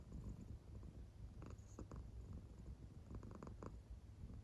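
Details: Claire, an American Shorthair cat in deep sleep, gives a low rumbling purr with faint breathy pulses in a short stretch.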